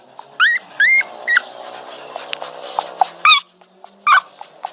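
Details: Dog whining in scattered sharp, squeaky cries, some bending upward, spaced irregularly about half a second to a second apart over a noticeable steady humming background.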